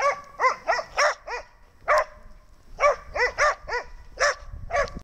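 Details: Snow the dog barks again in rapid bursts: roughly fourteen shrill, ringing yaps in clusters of two to four, with short pauses between groups and faint rustling underneath.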